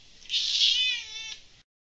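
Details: One kitten, among kittens drinking milk, lets out a single loud, high meow lasting about a second. It is steady and slightly wavering, then fades into silence.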